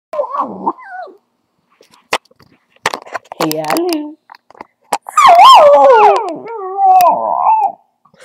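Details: Ten-month-old dachshund howling: a short wavering yowl, a pause with clicks and soft noises, then a long loud quavering howl sliding downward before fading out.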